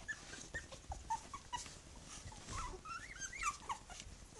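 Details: Three-week-old puppies of one litter beside their mother, making brief squeaks and rising whiny peeps that come in quick overlapping bursts, growing busier toward the end, over soft rustling and low thumps.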